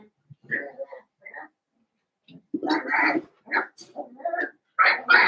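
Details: Indoor pen holding a litter of five Blenheim Cavalier King Charles Spaniel puppies born around New Year's Day; irregular whining squeals and little yips, several overlapping, rising and falling in short bursts.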